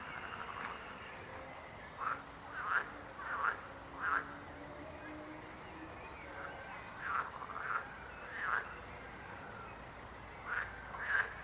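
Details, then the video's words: Frogs croaking in irregular bursts of two to four short, nasal, rasping croaks, with pauses of a second or more between groups, over a constant distant chorus. "Rechot żab. Croaking frog sound."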